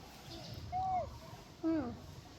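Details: Orphaned monkey, excited at being given food, gives two short tonal squeals about a second apart, the first level then dropping, the second bending downward with harmonics, over a low background rumble.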